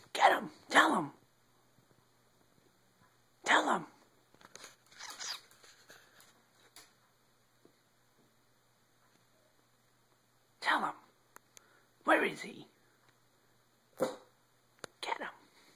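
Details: On an evening in February 2012, a Boston Terrier gives short, explosive barks broken up by sneezes while a person excitedly urges "get him!" between them.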